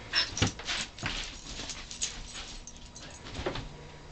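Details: Little puppy at play, giving quick breathy whimpers and yips, several per second, amid rustling and handling noise.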